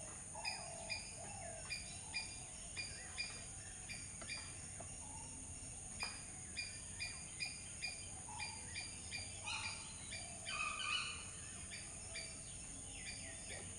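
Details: A long run of squirrel chirps: crisp, clipped notes repeating about twice per second with occasional lower tonal notes and a brief burst of rougher chatter near the end, all over constant background hiss.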